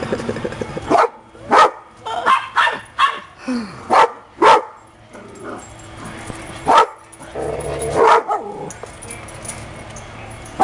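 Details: Pups playing happily, giving a string of sharp barks, about a dozen over ten seconds, some in quick pairs, with background music and a voice.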